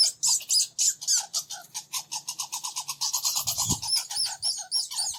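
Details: Two red squirrels (Sciurus vulgaris) argue, squabbling with rapid, high, thin squeaks, about four a second, in an excited chattering run as they chase each other around a bird feeder.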